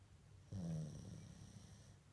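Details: Mame shiba Komugi asleep gives a single short, low snort-like snore that fades into soft breathing.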